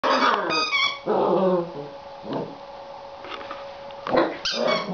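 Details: Seven-week-old Border Collie puppy, a female, annoyed with her new toy: low rumbling growls run into sharp high yips and short barks, several bursts with brief pauses, a steady faint hum underneath.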